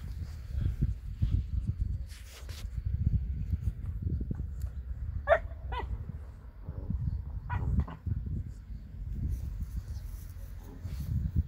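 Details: German Boxer dog barks in short harmonic bursts, a quick double bark midway and another pair about two seconds later, over a constant low rumble and scattered knocks and rustling.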